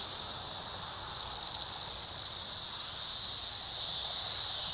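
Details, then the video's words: An individual Magicicada cassini periodical cicada calling, with flight also noted: a continuous, high, hissing buzz that holds steady, then swells louder over the last two seconds. No other clear sounds. "Magicicada cassini individual call and flight"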